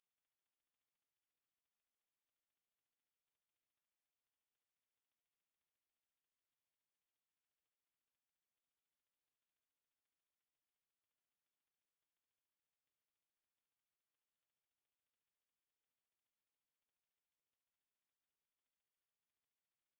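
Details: Coneheaded katydid Ruspolia lineosa, recorded for the National Institute of Biological Resources in 2020, sings a steady shrill buzz of fast regular pulses for the full stretch, with two very brief breaks; otherwise silent background.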